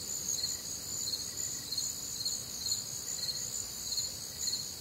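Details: Warm, humid summer night in the American Midwest with crickets calling; steady piercing trills fill the upper range, pulsed chirps repeat at a quick, uneven pace, and occasional fainter insect notes sit lower.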